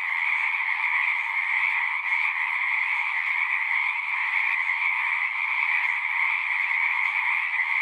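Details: Pond frogs in a horse pasture, recorded with a Zoom 6, chorusing in a constant ringing wall of overlapping trills, two strong pitch bands steady throughout.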